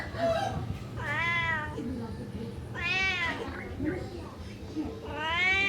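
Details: A cat gives several drawn-out, wavering meows that rise then fall, spaced irregularly over a few seconds, over a low steady background hum.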